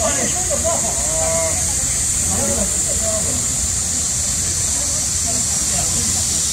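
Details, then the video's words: Cicadas singing in midsummer during a nationwide heatwave, a loud, steady high-pitched hiss held unbroken throughout, with people's voices talking faintly underneath. "한여름 매미소리 - 데시벨이 엄청 나네요"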